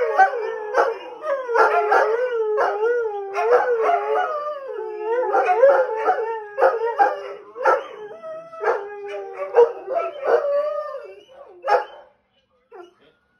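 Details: Three greyhounds howl at sirens from a TV police show, wavering undulating wails mixed with short barks and yips, the chorus breaking up and fading out after about twelve seconds.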